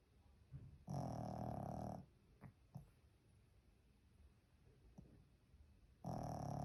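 A Pekingese snores with long, rasping, throaty breaths spaced about five seconds apart.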